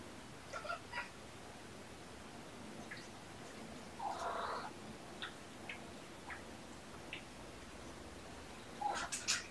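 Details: Mother cat Olympia nursing and washing her kittens Puck, Button and Sequins, surrendered to a shelter, the kittens born November 22; scattered thin kitten mews and squeaks, a fuller mew around the middle, and a cluster of sharp cries at the end.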